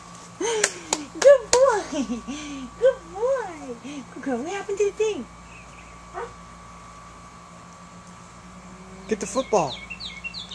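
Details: Puppies Reebie and Bear playing in a kiddie pool: a run of high, wavering whines and yelps that rise and fall in pitch over about five seconds, with people talking nearby.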